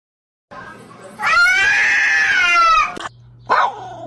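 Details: Cat letting out a loud, drawn-out yowl that swells and holds for about two seconds, then a short sharp second cry, with people talking nearby.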